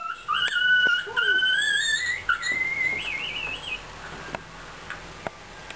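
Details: Singing Fox Terrier: high, whistle-like tonal notes that rise and waver, sliding upward in a drawn-out wavering line, then fading into quieter background room sound.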